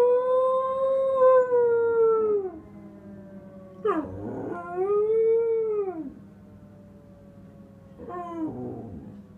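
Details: Astrid, a female Samoyed, howls in answer to a local fire siren: long, clear, arching tones that rise and then fall, each lasting about two seconds, with short yelping breaks between them, in a quiet room.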